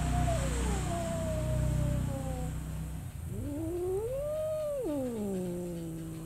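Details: Domestic cat giving drawn-out wavering yowls, a long sliding moan that dips then rises into a high arched wail and falls away, over a steady low background hum.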